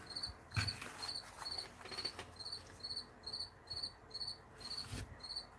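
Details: A cricket sings steady, high, pure-toned chirps, repeated a couple of times each second, on an October 6 morning as cool weather arrives.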